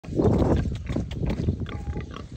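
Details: A young captive wild boar, a bit unwell with a stomach upset that day but recovering, gives a run of deep, rough grunts in quick, uneven pulses during an affectionate moment with its caretaker.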